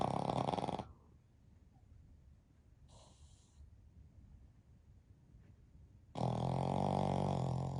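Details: Three Pekingese-Shih Tzu mix dogs sleeping together; a brief rattling snore opens, a faint soft breath follows after a quiet gap, then another loud, droning, buzzy snore begins near the end.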